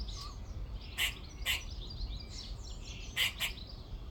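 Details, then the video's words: Squirrel in a tree in a back garden on the second day of recording, giving four sharp, harsh barks: a pair spaced half a second apart, a pause, then another quick pair, with faint twittering in the background. "squirrel making noises"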